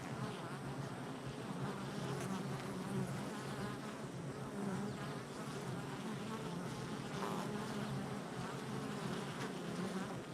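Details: Steady massed buzzing of honey bees at the hive entrance, recorded July 22nd, 2024; a continuous low, rich drone with layered wavering overtones from many insects flying close by, unbroken for the whole stretch.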